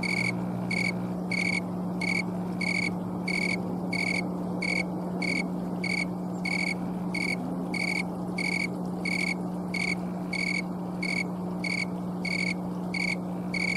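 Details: Green tree cricket chirping outdoors in Colorado on October 11, 2022, an afternoon late in the season, captured on camcorder as its wings make the sound. Some twenty-two crisp high chirps in a steady rhythm, with a faint low hum beneath.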